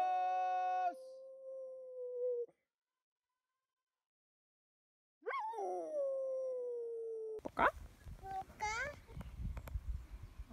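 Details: A singing dog holds level tones, falls quiet, then gives a rising, sliding howl that settles into a sustained note, followed by a stretch of mixed clatter and shorter yelping sounds.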